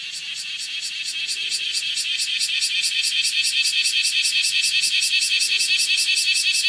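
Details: Kumazemi, the bear cicada Cryptotympana facialis, shrilling as it walks on a window screen in Japan on the morning of 31 July 2018; a high buzzy shrill that swells in loudness, pulsing in quick regular beats.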